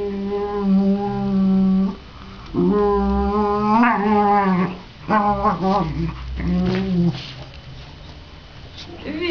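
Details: A mother dog with one of her puppies, giving long, drawn-out, tonal whining cries that rise and fall in several bouts with short pauses, while a woman talks nearby.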